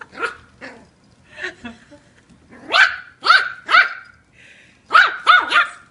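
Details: Eight-week-old Yorkshire Terrier puppy named Kiwi, mouthy and showing attitude toward her new brother and sister, gives a run of sharp high yappy barks, some rising and falling, in irregular bursts with short pauses between.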